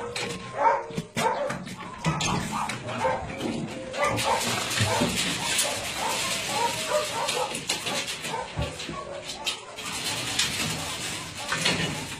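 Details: Many dogs at a meat farm and puppy mill in Nonsan, South Korea, January 2017, among about 150 dogs of breeds such as Doberman, Shar Pei, Chow Chow and Golden Retriever; dense overlapping sharp barks over a noisy background.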